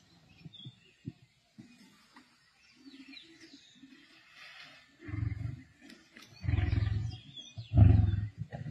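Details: Male lions feasting with a pride on a kill in Sabi Sands, 31 March 2024: deep booming grunting roars building in loudness, bursts near five, six and a half and eight seconds, with softer growls and faint bird calls behind.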